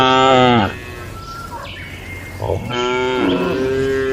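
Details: Tame cattle in a farm barn during their daily routine, eating and gathering; a strong lowing moo, a quieter gap with faint bird chirps, then a second long rising moo.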